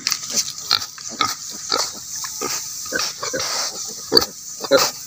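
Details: Native pigs kept for breeding, giving short broadband grunts and squeals repeated at an irregular pace, with several sharper squeals near the end over a steady high-pitched background hiss.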